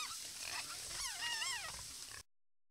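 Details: Many wild boars at a watering hole in the wild: a few thin, bending squeals rise and dip over constant rustling noise, then the sound cuts to silence.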